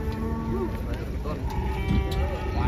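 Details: Large fattened bull from Sambi, Boyolali, Indonesia, raised from a young calf for about four and a half years, unloaded from a truck; wavering harmonic moo mixed with men talking and engine hum.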